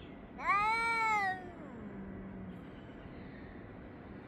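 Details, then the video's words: Cats yowling at each other on 3 Av 5785, filmed between 6:01 and 6:04 summer time; one loud, harmonic-rich wail lasting about a second and sliding downward, then a lower drawn-out moan fading into steady background hiss. "חתולים מייללים זה לזה Cats are yowling at each other"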